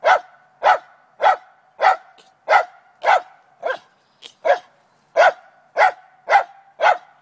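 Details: Morning barking from Trina the Lakeland Terrier, set on catching a chipmunk inside a downspout: a dozen loud, evenly spaced barks, a little under two per second, with one brief quieter yip in a short gap.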